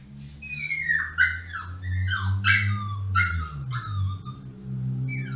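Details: Pomsky named Yoshi, just placed in his cage and throwing a tantrum to be let out; high wavering whines slide down repeatedly over a low steady hum, several whimpers in a row.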